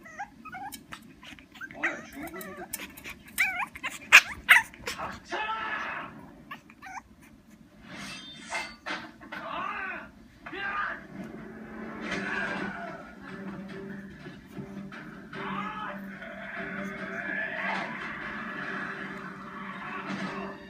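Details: Bulak, a pet dog making odd sounds when unhappy: quick yips and wavering whines early on, then softer drawn-out moaning growls, with spoken voices audible in the background.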